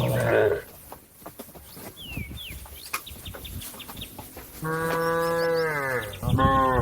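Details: A cow calls a herd mate grazing on grass to return to the barn: a short moo at the start, rustling and faint bird whistles, then a long steady low moo near the end and another moo starting.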